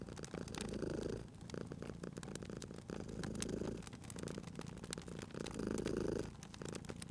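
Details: Cozy scene of a sleeping cat purring by a crackling fireplace; deep rumbling purr rising and falling with each breath, about three swells in seven seconds, with crisp fire pops and crackles between.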